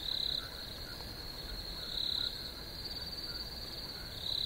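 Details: Chirping crickets form a steady high-pitched trilling band, with three louder buzzy pulsed bursts spaced roughly two seconds apart over a soft background hiss.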